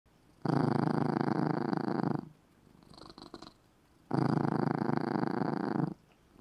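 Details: Sleeping cat curled in a little red cat bed, purring loudly indoors: two long dense rumbling bursts of about two seconds each, separated by a quieter softer purr on the in-breath.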